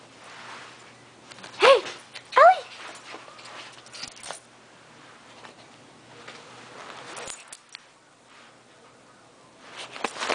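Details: Smellie Ellie, a female pet dog acting a little crazy, gives two short, high, rising whines in quick succession near the start, followed by quiet rustling and handling noises, with a burst of broadband scuffling at the end.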